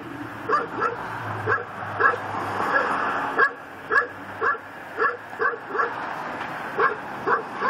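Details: Pit bull tied to a post in a yard in Chalmette, Louisiana, barking nonstop at midnight, December 24, 2012: a steady, insistent run of rough barks about twice per second, over a low mechanical hum early on.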